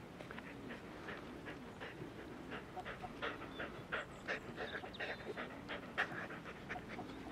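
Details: Five male Border Collie puppies from the litter of LIXIE, playing and exploring a new sunny spot outdoors alongside eight-month-old young dog Tresor; quick rhythmic panting breaths, soft whimpers and short yelps, with faint rustling.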